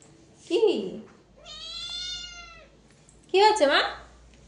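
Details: A housecat produces three meows in a small room: a short falling mew, a long steady whining note held for over a second, and a louder wavering meow that dips down at the end.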